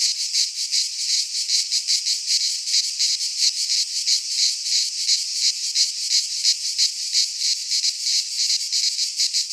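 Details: Singing cicadas in a Greek pine forest at midsummer: an intense, piercing metallic whirr throbbing in even rapid beats for the whole stretch, otherwise quiet.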